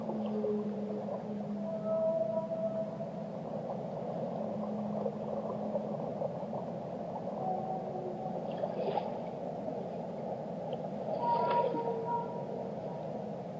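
Long, low tonal whale moans drift over a steady underwater rumble, with a few higher sweeping notes.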